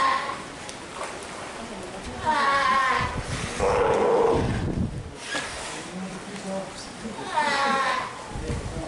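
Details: A ten-day-old Steller sea lion pup with its mother at Marinpia Nihonkai, filmed 12 July 2023 in poor weather during active play and nursing; three harmonic, bleating calls rise and fall around the second, fourth and seventh seconds over a low murmur.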